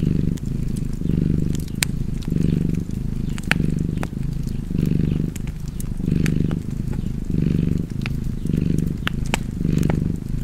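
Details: Purring house cat with a fireplace crackling nearby; the low rumble comes in distinct pulses separated by brief pauses, roughly one per second, overlaid with sharp sporadic wood snaps.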